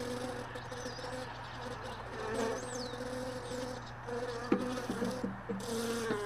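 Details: Honey bees droning around hive boxes left in a truck bed, a continuous buzzing hum with a few faint bird chirps and a sharp knock partway through.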